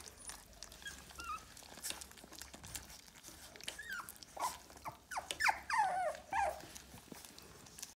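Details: American Cocker Spaniel puppy in a small room, soft rustling at first, then a cluster of high, sliding whines and squeaky yelps near the end.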